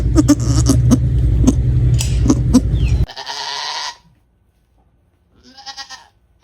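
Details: Baby goats on a farm give short, quavering bleats over a heavy low rumble and clattering noises.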